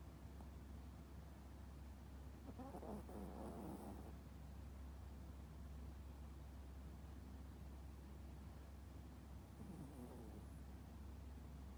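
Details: Toy poodle Popo fast asleep, snoring heavily: two rough, breathy snore bursts, one near three seconds and another near ten seconds, each with a faint hissing edge, over a steady low hum throughout.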